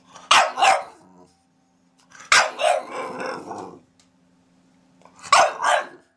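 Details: Dog barking in three spaced doubles, each pair of sharp barks followed by silence, over a low steady background hum.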